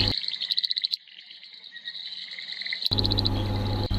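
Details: A frog calls around Devala, Nilgiris, Tamil Nadu, India, apparently in the monsoon, giving high, rapid clicking pulses that run into a thin, sustained trill, followed by a heavy rain-like hiss.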